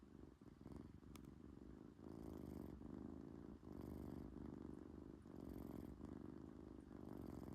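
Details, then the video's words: Sleeping British Shorthair cat purring and snoring together, a continuous deep rumble rising and falling with slow breathing, with soft hissy breath or snore bursts about every two seconds at the breath peaks. "코골이 + 골골송?"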